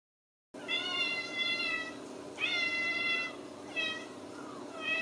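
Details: Ragdoll kittens from a cattery in central Kansas, raised in the home without cages, give a series of clear harmonic meows, each about a second long, some rising then falling, with short gaps between calls.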